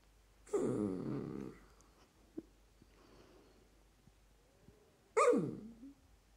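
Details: Dachshund puppy wanting more attention: a drawn-out, wavering whiny grumble lasting about a second, quiet pause with small clicks, then a second sharp, falling yelping whine.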